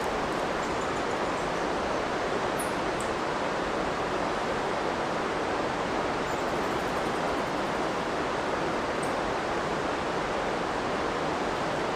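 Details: Steady broadband rushing, like a stream or waterfall, with no clear animal voice; only a few faint, very high ticks show through.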